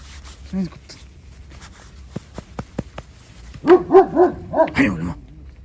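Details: Anatolian Shepherd Dog barking: a quick run of five loud, harmonic barks near the end, after one single bark earlier, with a man's voice calling out beforehand.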